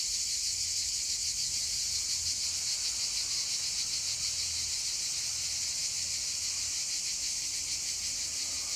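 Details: Cicadas singing on a hillside, their chant filling the landscape: a dense, continuous high buzzing chorus with a fast, faintly pulsing texture throughout, steady in loudness, with no other clear sounds.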